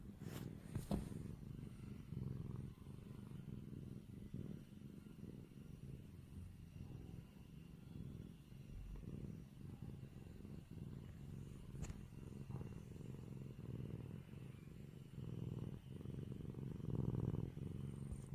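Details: Sustained rumbling purr from a kitten whose face is being rubbed, continuous low vibration with gentle rises in loudness and a few soft clicks of handling.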